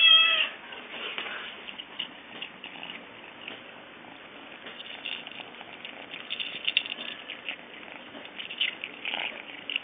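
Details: Hungry stray kitten, found the day before, eating cat chow for the first time: one short, loud harmonic meow at the start, then steady crunching and chewing sounds with occasional sharper bursts.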